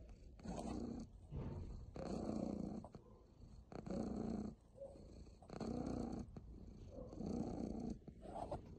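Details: Purring from a very happy pet cat: deep, buzzy rumbles rising and falling in regular waves, each loud phase lasting about a second with quieter breathing pauses in between.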